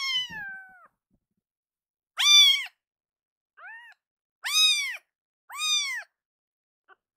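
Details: A rescued young kitten cries loudly, later soothed by being held: a long falling meow opens, then a pause, followed by four short arched meows, one faint, separated by silence.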